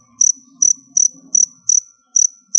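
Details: Crickets in a storage box, kept as pet feeder insects and fed squash and cassava leaves, chirp in the background while a female cricket undergoes its final molt: bright, high, ringing trilled pulses about twice a second, with a faint low rumble early on.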